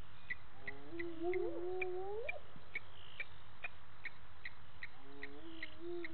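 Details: Spotted hyenas whooping at 18:30 on 10/11/18 by Gowrie dam, Djuma Game Reserve, South Africa; one hollow call climbs steeply and breaks off, then a second starts low and rises near the end, over a steady chorus of ticking insects.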